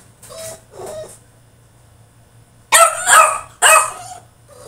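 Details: A caged male French Bulldog in the middle of a tantrum. Two soft, whiny whimpers come first, then a pause, then two loud, harsh, raspy barks close together.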